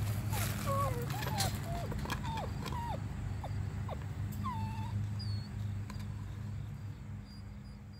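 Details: Eight-week-old Weimaraner puppies giving a string of short high whines and yelps, some bending downward, crowded into the first five seconds over a steady low hum, then quieter.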